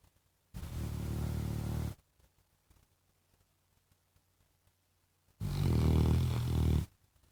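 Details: A pet Labrador Retriever snoring twice, each a low, buzzing rumble of about one and a half seconds, the second louder and rougher, separated by a quiet pause with faint small noises.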